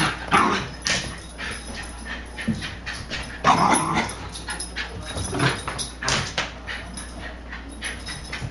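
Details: Female Welsh Terrier doing nightly laps around an indoor living room; irregular sharp yips and whimpering bursts roughly every second or two, mixed with scrabbling and footfall noise.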